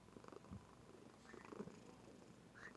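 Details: Pet female cat purring in her sleep indoors, captured by webcam: quiet, continuous low throbbing rumble with a gentle pulsing rhythm and slight swells in loudness, no other clear sounds.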